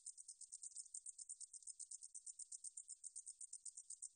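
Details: High, dry buzzing song of a meadow katydid, from the National Institute of Biological Resources in Korea, 2020, pulsing quickly and evenly at about eight beats per second in a clean recording.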